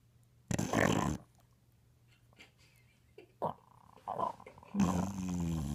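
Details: An English Bulldog snores around the house in harsh, rattling bursts, with a low steady hum underneath.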